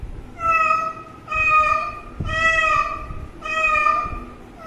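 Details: A kitten that has been drinking water mews four times, each meow long and level with rich harmonics, spaced about a second apart over a low background rumble.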